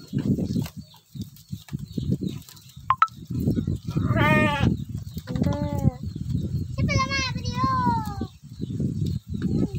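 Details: Sheep being fed in a village, giving four distinct bleats between the fourth and eighth seconds. Each is a trembling, nasal cry with falling tails, set against murmuring voices and low thumps.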